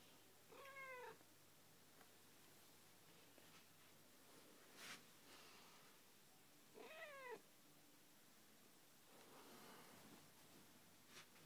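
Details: Pet cat tucked up in its owner's bed, chirping as if in guilty apology: two brief, quiet harmonic chirps several seconds apart, each sliding downward, with faint rustling and soft room noise between them.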